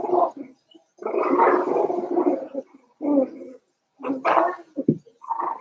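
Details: Five-week-old Cavalier King Charles Spaniel puppies in their indoor puppy pen make rough, gargling growls in long bursts, broken by short pauses, with a sharper yelp-like note near the end.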